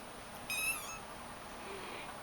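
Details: Shaded golden Persian kitten playing indoors with its mother and littermates gives one short high meow, bright and harmonic, lasting under half a second, with quiet room hiss and a steady high whine.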